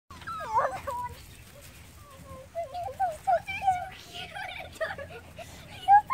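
Miniature Schnauzer puppies whine and squeal in high, wavering tones, several voices overlapping.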